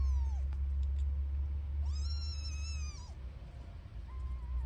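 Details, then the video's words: A mother cat feeding her newborn kittens: a brief falling mew opens, then a loud, bright meow with a long level middle held about a second, then a softer short cry at the end, over low background rumble. "the cat feeds her newborn cats"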